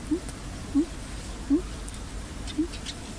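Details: Stray dog hiding beneath a pile of wood, its cry sounding unhealthy: four short, low, slightly rising whimpering notes spaced under a second apart, quiet against a steady background hiss.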